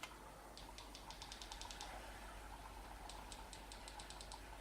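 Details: A sperm whale coda recorded off the Brazilian coast: a rapid run of sharp clicks, regular at first, then erratic toward the end. It is a distinctive coda type that has not yet been named.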